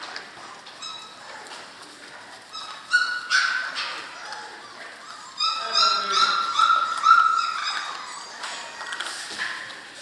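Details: German Shorthaired Pointer puppies from one litter, six weeks old, giving high whining whimpers and short yips with rising and falling harmonic tones, some overlapping, plus faint voices in between.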